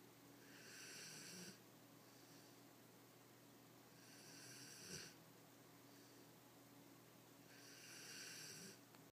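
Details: Asleep indoors, a Greater Swiss Mountain Dog gives three long, hissing snore breaths roughly three seconds apart, each with a brief throaty catch, over a low steady background hum.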